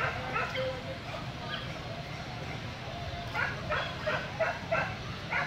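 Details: At a Vietnamese dog show, a Corgi lets out a few scattered barks before a rapid string of five or six sharp yaps near the end, with background chatter and hall noise throughout.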